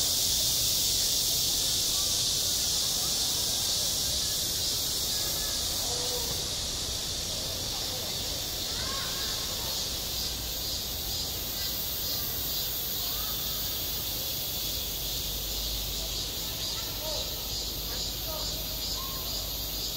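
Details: Summer cicadas droning at a school playground, a continuous high sizzling buzz with a slight pulsing texture, while faint distant voices rise and fall underneath.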